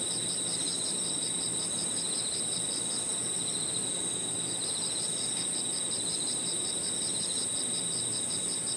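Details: On an evening in a park, crickets and other insects keep up an unbroken high whine while a clear, evenly beaded series of quick chirps repeats at steady spacing; quiet low background noise.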